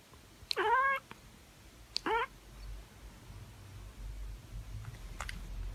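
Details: Domestic cat, one of a calico and tabby pair, giving two short harmonic meows: the first about half a second long and gently falling, the second briefer, then quiet room noise with a faint click.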